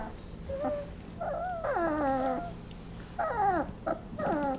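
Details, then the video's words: Basset Hound puppies, 20 days old, during a nap: high whining whimpers with bent, falling harmonic tones, several drawn-out cries of about half a second, separated by short gaps, in a quiet indoor room. "Basset Hound Puppies making funny noises"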